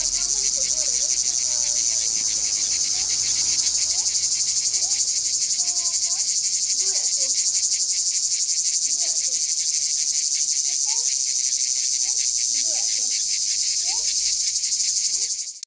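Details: Cicada calling from a tree in Jagodje, Izola, Slovenia: a loud, continuous high buzzing drone with a fast rattling pulse throughout, steady until it cuts off at the end; faint bird chirps behind.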